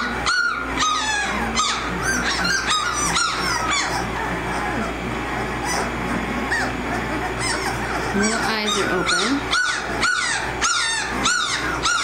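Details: Litter of 18-day-old American Mastiff puppies from the Kimi x Viho pairing at Sycamore Creek Ranch, eyes newly open and walking, giving rapid high squeaky squeals and whines, roughly two a second, with a woman talking over them.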